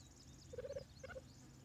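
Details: Three-month-old captive cheetah cubs Amabala, Jabari, Hasani and Erindi at a carcass feeding of frozen-thawed rabbits; a quick quavering run of mid-pitched chirring notes, then two shorter notes, over faint background hiss.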